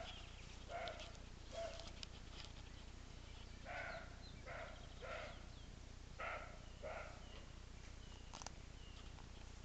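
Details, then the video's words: Roe deer barking at a distance: about seven short, harsh, hoarse barks in irregular bursts, each a brief rough blast, with steady low background rumble throughout. "Őz ugatása"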